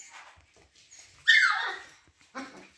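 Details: Siberian Husky indoors, protesting after taking the puppies' plate: one loud whining yowl that slides down in pitch for about half a second, then a shorter, softer whine in an otherwise quiet room.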